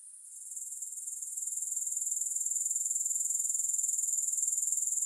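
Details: Soothing grasshopper chirring that fades in over the first two seconds, then settles into a steady, very high trill. It pulses rhythmically around four times per second, with no other sounds.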